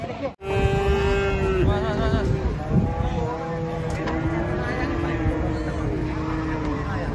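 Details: Agitated cattle coming down from a truck, raging: a long, steady, harmonic moo held for about a second, followed by further wavering lowing tones, with people talking and a low rumble throughout.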